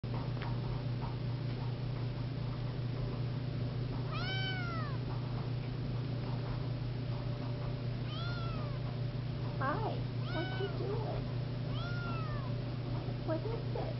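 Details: Siamese seal point kitten indoors, repeatedly mewing: about six short arching meows rising then falling, spaced a few seconds apart, over a steady low electrical hum.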